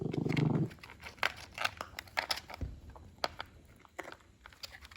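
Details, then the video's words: Moses, an adult Shih Poo, growls briefly in a low rumble while eating indoors, followed by crunchy chewing and scattered clicks of kibble. "Funny Grouchy Shih Poo making noises while eating"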